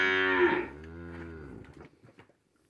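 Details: Morning hand milking in a farm corral while calves suckle. A cow gives a loud, rich, harmonic moo that holds briefly and then slides lower and fades over about a second and a half, followed by faint rustling.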